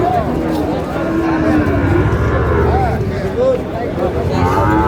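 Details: Cattle market in Chattogram, Bangladesh, on 5 June, with a farmer purchasing Sahiwal bull calves: repeated short, low moos and grunting lows over a continuous murmur of voices and bargaining.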